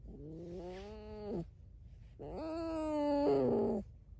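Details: Tame red fox at home giving two long, wavering, nasal whines, the second louder and rougher toward its end, with short silence between them in a small room.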